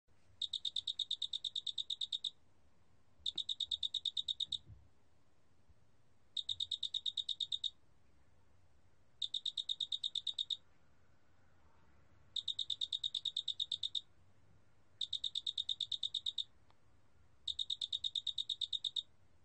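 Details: A cricket (Korean name 큰알락귀뚜라미), recorded in 2020 for Korea's National Institute of Biological Resources, calls in repeated bursts of fast, metallic, high trilling pulses about two seconds long, with brief pauses, over a faint low hum.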